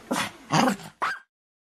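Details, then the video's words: A Pomeranian (German Spitz) gives three sharp, high barks, the last one brief and rising. "Som do SPITZ ALEMÃO (Lulu da Pomerania) latido de cães"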